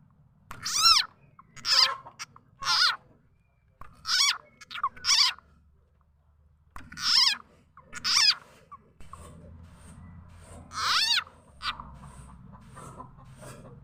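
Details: Lao and Thai khiat cha na frog, its voice used to lure birds and fowl: a string of shrill, warbling, harmonic squeals, some paired, about one a second, over a faint low hum in the second half.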